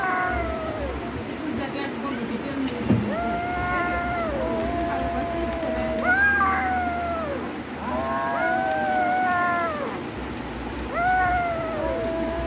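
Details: Cats in a fight standoff trading long, rising-and-falling moaning yowls almost without pause, overlapping wails with arched pitch contours repeated every couple of seconds, a faint thump early on over low rumble.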